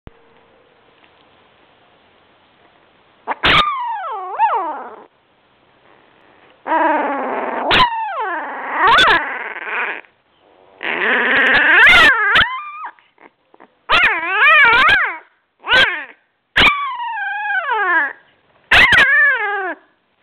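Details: Labrador Retriever pups at two weeks old whimper and whine in a series of wavering, rising-and-falling cries, some long and overlapping, others short yelps, separated by brief silences.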